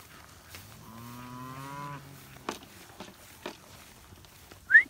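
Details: Texas Longhorn cattle being penned by dogs: one low, steady, drawn-out moo lasting about a second. It is followed by a few knocks and clatters and ends with a sharp rising human whistle.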